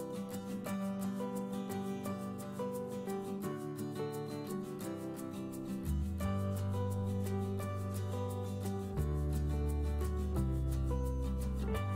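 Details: Gentle plucked-guitar music with a steady beat and deep bass notes plays throughout, with no animal voice heard. The bass deepens and grows fuller halfway through, while the melody continues unchanged.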